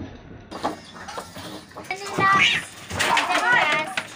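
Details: Two neighbour cats fighting intensely, held until separated; two drawn-out, wavering yowls rise and fall in quick succession, mixed with human speech and room clatter.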